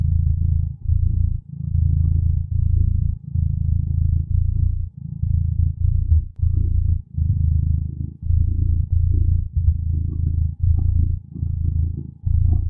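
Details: Steady low purring from a contented cat at rest, a throbbing rumble broken into regular breath cycles roughly every second, close and even in loudness, nothing else audible.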